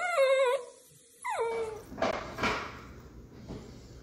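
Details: Miniature Dachshund lets out a short, wavering whine, then a second whine that slides sharply downward and trails off, followed by soft shuffling and handling noises.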